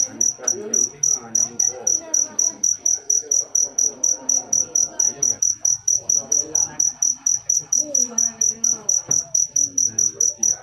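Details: Cricket keeps up a regular sequence of bright, high chirps, about two a second, steady throughout, with muffled speech-like sounds underneath.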